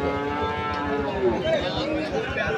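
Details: Sahiwal bull calves being traded at Ambari cattle market, Parbatipur, Dinajpur, Bangladesh, on 14 March 2025; a drawn-out lowing moo with rich harmonics runs under steady market chatter and bargaining voices.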